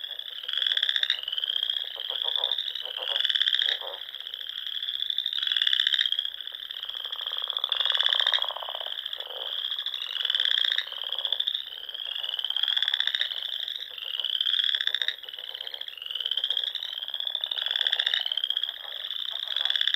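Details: Springtime frogs singing at dusk among the Sandhills lakes of Nebraska; a dense, ringing high trill runs throughout while pulsed bursts recur about every two to three seconds, with lower clattering notes in between.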